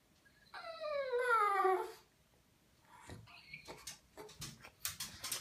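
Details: Pet pug, female, whimpering while left wet with medicated shampoo during a bath, angry at waiting; a single drawn-out whine with layered harmonics that slides downward over about a second, followed by splashing and rustling indoors.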